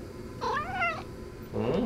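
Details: Pet cat Shio-chan chatters back in protest. One drawn-out meow rises and then falls in a smooth arch. A second, lower, growly mew starts just after it. Quiet indoor background.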